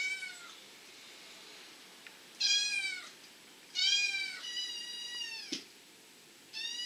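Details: {'text': 'Repeated high-pitched kitten meows from the Abyssinian litters born in spring 2014, amid play, suckling and napping; four or five clear, slightly falling cries come in an irregular series, with a knock in between.'}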